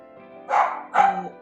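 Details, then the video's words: Pet dog at home barking a lot during a live online group session; two short, harmonic barks about half a second apart over steady background music. "meu cachorro tá latindo muito e vai incomodar a sala."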